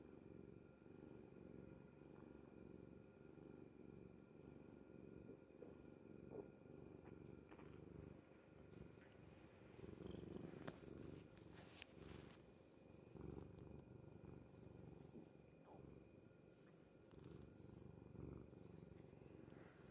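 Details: Cat dozing on its owner's bed, a soft low purr running throughout, partly masked by rustling and brief clicking sounds in the middle.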